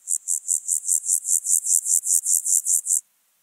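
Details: On Obir in Austria, 30 July 2022, an Alpine grasshopper gives a loud, crisp string of about fifteen rasping pulses, roughly four per second, stopping abruptly into silence.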